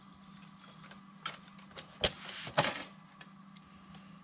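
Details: Sharp clicks and rattling bursts over a steady electrical hum, with no animal voice heard.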